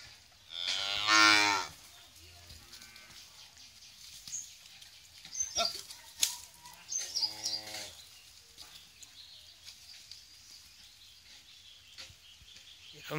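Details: Holstein Friesian heifer calf, eight months old, at a dairy farm in Bhangura, Pabna, Bangladesh. Two loud, rich moos come a few seconds apart: the first is strained and rising, the second shorter. Scattered clatter and handling sounds fill the gaps.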